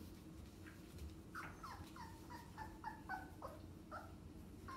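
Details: A litter of 2.5-week-old English Springer Spaniel puppies together gives a rapid run of thin, high, falling whimpers over a low hum.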